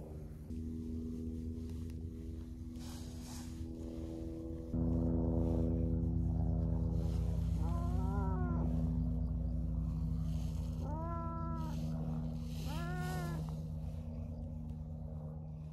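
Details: Stray tabby cat being massaged as thanks after leading the way to a friendly orange-and-white cat; three short arched meows near the end, spaced a few seconds apart, over a steady low droning hum.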